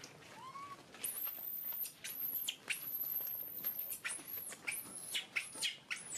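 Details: Screaming baby monkey: long, piercing shrieks held very high, broken into rapid, ragged bursts that rise and drop steeply, with a short rising cry at the start.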